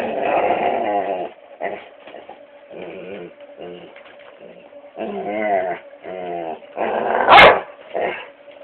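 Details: Labrador Retriever kept as a pet, growling and barking at a foot massager, cellphone recording: repeated throaty growl-whines in bursts, then one loud sharp bark near the end, over a steady appliance hum.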